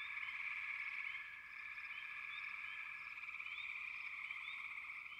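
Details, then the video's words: Frog chorus: a dense, unbroken wall of fast pulsing trills from many frogs, with short rising chirps repeating above it, steady throughout. "Frogs, лягушки"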